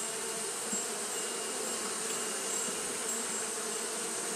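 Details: Japanese honey bees fanning through a hot day, heard as a close, continuous buzz with a pronounced low hum band and wide airy noise above, nearly level loudness with tiny swells.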